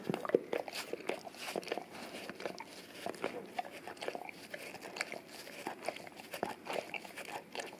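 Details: English cream golden retriever, male, indoors licking a peanut-butter-covered Orapup tongue-cleaning brush taped to a tile floor; wet smacking and lapping sounds in quick irregular bursts, with occasional crisp clicks.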